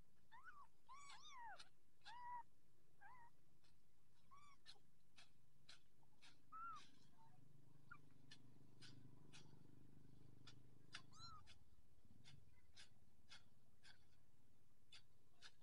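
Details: Orange Persian kitten, filmed as it grows up, gives short high mews, some rising then falling, in bursts early on and again near the end, over a low steady rumble and sharp clicking taps.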